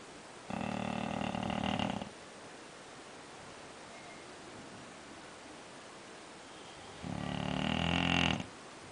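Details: English Bulldog named Scofield snoring: two harsh, rasping snores, each about a second and a half long with a buzzy, layered rattle, separated by a long quiet pause filled with faint background hiss.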